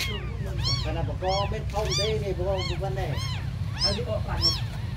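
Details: Several abandoned kittens mew together, high arched cries mixed with lower, softer overlapping meows, repeated rapidly over a low hum.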